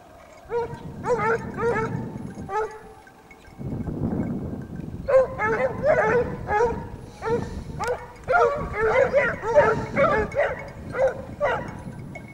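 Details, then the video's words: Several Basset Hounds of the French Rallye de l'Allagnon line trailing a scent, giving repeated harmonic, drawn-out bays at irregular intervals, several voices overlapping, with a low rumbling background. "Basset Hound siguiendo rastros"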